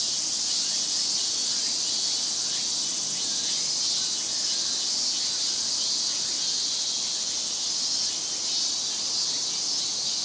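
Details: A dense summer chorus of Japanese cicadas in Japan, a steady, hissing, high-pitched drone with no breaks.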